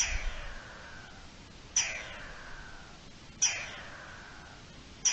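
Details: Alarm of a garden dormouse, recorded 3 April 2021: abrupt, piercing high calls, each with a sharp onset and a fading, falling tail, repeated roughly every one and a half seconds over faint background hiss.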